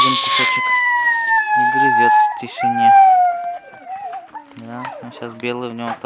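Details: Siberian Husky puppies at feeding time, one already chewing a piece of food; a drawn-out, slowly falling whining howl lasting about three seconds, then short yelps, with a person talking throughout.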